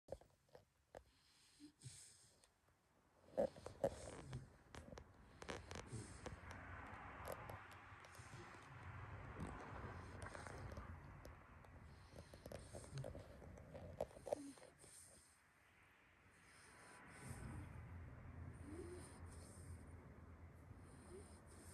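A pit bull snores in long, low, rumbling breaths broken by short quiet pauses.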